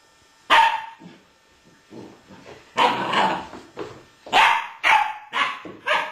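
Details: Young Malinois pup barking to invite an eleven-year-old American Staffordshire Terrier to play, giving a harsh opening bark, soft grumbles, then a rapid, uneven volley of loud, raspy barks toward the end.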